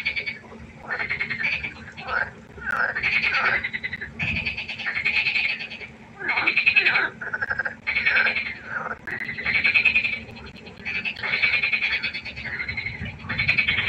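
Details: Frogs in a night-time chorus by a pond croak in overlapping bursts of harsh, rattling pulses, a dense chorus rising and falling.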